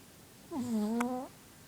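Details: A female Shih Tzu, asleep, gives a single whistling snore that dips low, then rises at the end.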